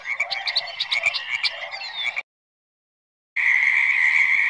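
A chorus of frogs fills the air with quick, pulsing croaks that overlap into a steady, buzzy trill. After a brief silent break, the calling resumes as an unbroken, high, ringing drone.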